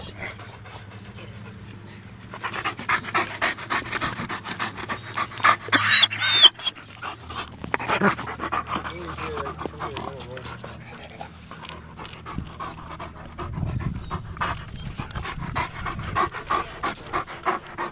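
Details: Two German Shepherds, Nyah and Yogi, out enjoying a beautiful day, panting in hoarse breathy bursts, about two per second, with human voices and a low hum mixed in.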